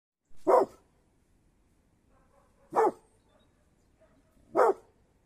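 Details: Mountain Cur barking: three short, sharp barks spaced about two seconds apart, with quiet in between.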